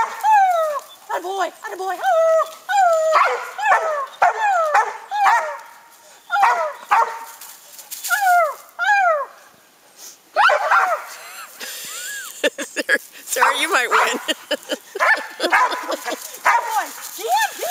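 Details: Young dog Gator barking up at a treed raccoon. Repeated bowed, ringing barks fill the first half, then a rougher stretch of scuffling, voices and broken yelps follows.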